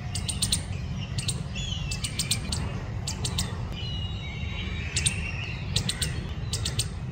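A squirrel gives sharp, clicky chirps in quick bursts over a low, steady rumble.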